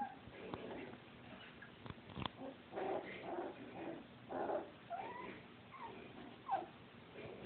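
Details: Dachshund puppies in a litter, recorded on a phone: faint, scattered high squeaks and soft whimpers, short and irregular, over a quiet indoor background with occasional rustling.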